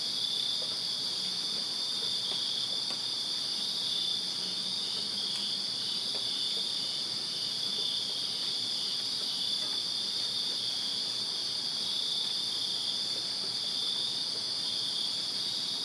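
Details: Summer night chorus of crickets in a Virginia backyard: a steady, shimmering high trill from many callers that never pauses, with a soft low murmur and scattered faint ticks in the background.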